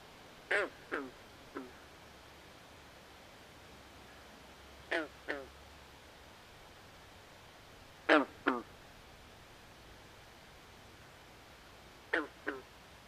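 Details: Frogs calling at night in a swamp: short, harsh, nasal croaks in tight pairs or triplets, each group roughly every three to four seconds, over a steady soft hiss with no other clear sounds.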